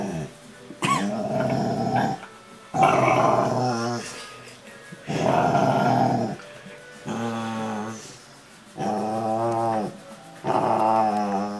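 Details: Ariel, a Rottweiler, talking while being cuddled: drawn-out, harmonic, moaning grumbles in five separate bursts of one to two seconds each, with quiet pauses between them and soft background music.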